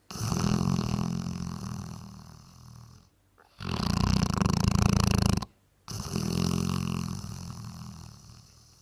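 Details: Snoring Bracco Italiano: three long, loud, low rattling snores separated by short silent gaps, each a buzzing flutter that starts strong and fades slightly, heard close up in a quiet room.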